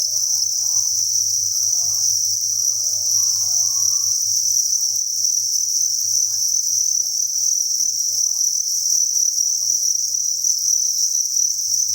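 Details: Crickets kept in a farm breeding facility keep up a constant, piercing high trill as a massed chorus, with light scattered clicks early on and a dull low hum underneath.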